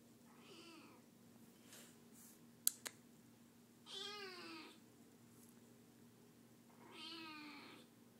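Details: Recovering kitten that had been sick, meowing indoors to be held; two plaintive, arching meows come several seconds apart after a couple of sharp clicks, in an otherwise quiet room.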